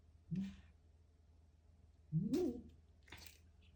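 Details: Domestic cat eating a grasshopper indoors, giving two short low murmuring grunts about two seconds apart, the second longer and rising then falling in pitch, followed by a soft crunch of chewing in a quiet room.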